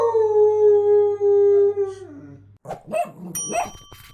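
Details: Siberian husky howls louder each time a squeaky toy sounds: a drawn-out, mournful howl held on a steady pitch about two seconds, then dropping away, followed by squeaks and a bright ringing tone from the toy.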